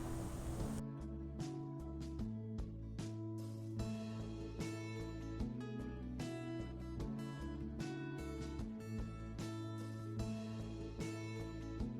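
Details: Plucked acoustic guitar music with a steady rhythm of strummed chords fills the whole stretch.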